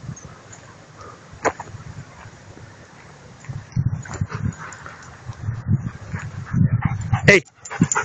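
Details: Dogs of Salmoxis Kennel at play on a field on 03.01.2014: six-month-old Angel and Adel ot Salmoxis with their mother Selma vom Baphomet. Low rumbling growls and scuffling throughout, a sharp high yelp near the end, human voices mixed in.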